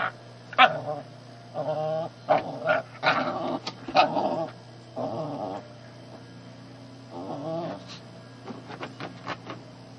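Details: Shih Tzu puppy pestering a household cat, grumbling in short harmonic growls that come in bursts about a second long, spaced through the first eight seconds, with sharp clicks and knocks between them and a steady low hum underneath.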